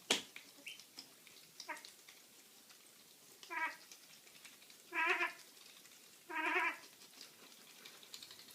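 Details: Domestic cat producing weird noises: a series of nasal, harmonic meows growing longer and louder, three strong calls roughly every one and a half seconds near the end, after softer chirps at the start.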